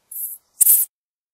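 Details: A bush cricket, a short-winged, flightless insect heard among grasses and scrub, gives two brief, very high-pitched, dry, hissing buzzy bursts of stridulation. The second burst is harsher and louder.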